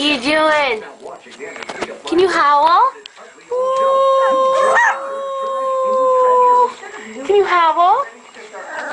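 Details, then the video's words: Puppies learning to howl: short bending yodel-like howls, then a long steady howl held for about three seconds, then more wavering notes, with people talking in the background. "Puppies Howling"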